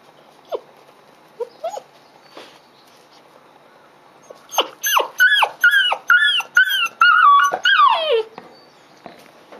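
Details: Female Dobermann puppy, 55 days old, on her second day in a new home, crying after waking on a Friday morning at 10:15 in July 2016; a few soft whimpers, then a run of loud, rising-falling whining cries, repeated rapidly for about four seconds.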